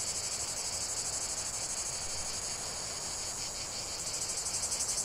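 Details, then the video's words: Cicadas singing in a dense chorus: a high, shrill, continuous buzz with a fast rapid pulsing that grows more distinct toward the end, and no other clear sounds. "45 min de chant des cigales"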